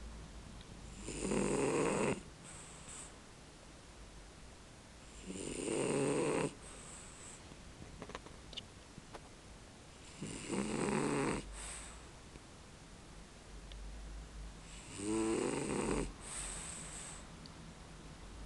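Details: A male French bulldog snoring while asleep: four long, rasping snores about every five seconds, each lasting roughly a second, separated by quiet breathing pauses.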